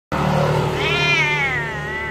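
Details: A domestic cat meows at someone it sees once a week, greeting the person and wanting attention; one drawn-out meow that rises then slowly falls, with a steady low hum beneath.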